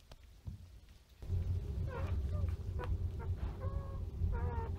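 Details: Standard Poodle puppies about three days old nursing. Thin, high squeaks and short rising whines come in bursts over a steady low hum and a rumbling background.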